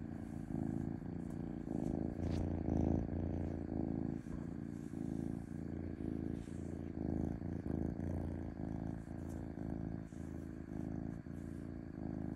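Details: Domestic cat in a smooth continuous purr, a low throbbing buzz pulsing with each inhale and exhale, slightly louder near the start, with one faint high tick and no other sounds.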